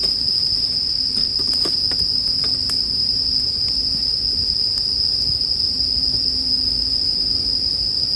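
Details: Bell cricket chirring beside a crackling campfire in a sleep soundscape: a steady, high, ringing trill runs unbroken throughout, with scattered pops and snaps of burning wood and a soft low rumble beneath.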